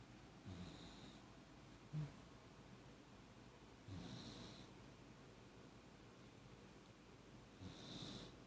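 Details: Lucky, a Beagle Jack Russell mix, lightly snoring on a Saturday morning: faint, slow breathing with a breathy hiss every few seconds, very quiet and steady.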